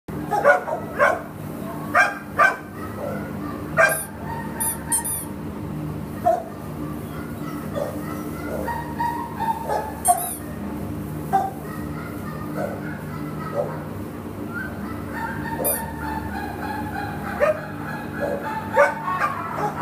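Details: Terrier available for adoption, barking in short sharp bursts scattered through the recording, some doubled and some single, over a steady low indoor hum with faint voices.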